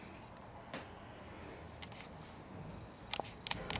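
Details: Quiet indoor room noise with a few sharp camera-like clicks near the end and no animal voice.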